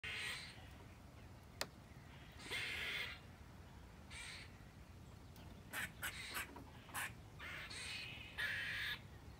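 A squirrel gives harsh, raspy alarm calls in short bursts, warning of danger.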